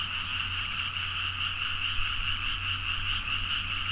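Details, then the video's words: Many frogs calling energetically late at night in paddy fields near Nagaoka, Niigata, Japan, captured with a Zoom H4n; unbroken overlapping croaking merges into a steady droning chorus, accompanied by a low steady rumble in the background. "The frog sound at mid night (環境,自然音 -深夜のカエル大合唱-)"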